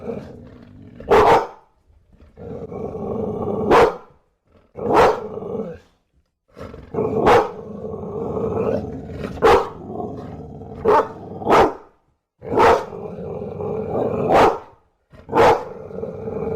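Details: Steady rumbling growl from a bulldog punctuated by around ten forceful barks, some close together and some separated by brief pauses.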